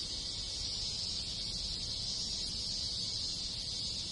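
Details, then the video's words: Numerous cicadas with other insects call in a Japanese countryside village in summer, giving a continuous high, sizzling drone that stays level throughout, backed by soft low-pitched ambient rumble. "Cicada Sound - Sounds of Cicada in the Countryside in Summer"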